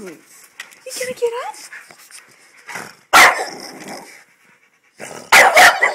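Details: Hugo, a French Bulldog, annoyed and wanting to come inside: thin rising whines early on, then two loud, harsh, broadband barks about two seconds apart, with human speech in the background.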